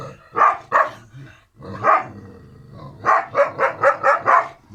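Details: Kangal puppies Karo and Karaca, brother-and-sister littermates, barking loudly: two barks, another single bark, then a rapid string of six evenly spaced barks near the end.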